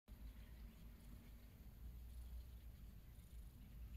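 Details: A cat purring: a steady, low rumble with a soft pulsing texture that runs unbroken for about four seconds, with faint hiss above and no other clear sounds.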